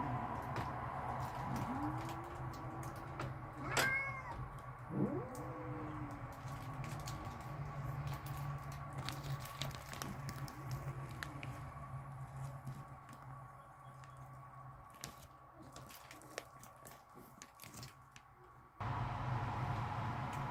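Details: Backyard cats, said to be angry and ready to fight, give low moaning yowls that rise and fall in drawn arcs. A few separate cries come early on, then the sound fades to a constant background hum.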